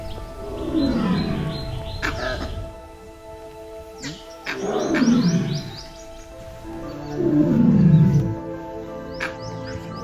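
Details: A male Bengal tiger in Kanha Tiger Reserve, Madhya Pradesh, central India, roars from a few meters away: three deep, drawn-out roars, each sliding downward, announcing his presence.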